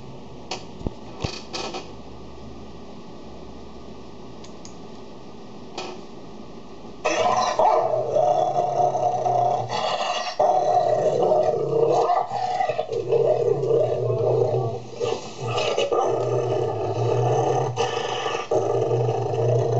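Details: Dogs, a Golden Retriever calming down a Labrador, indoors: near-silent first seven seconds with a few clicks, then continuous rumbling, grumbling growls with whiny overtones that rise and fall in bursts until the end.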